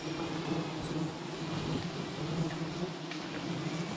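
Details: Honey bees at a tree holding eleven hives, a steady low droning hum with two even pitch bands running unbroken throughout, over a faint hiss of background noise.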